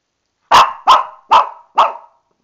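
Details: Lani, a female Shih Tzu, barks angrily in a tub because she knows she is about to get a bath and can't climb out: four sharp, bright barks spaced about half a second apart, then silence.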